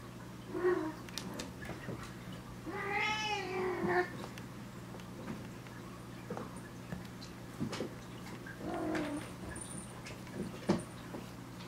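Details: Indoor cat from a litter-raising household in Japan, with a calico kitten kept at home; a long wavering harmonic meow around three seconds in, with shorter softer mews before and after, plus handling thumps and room hum.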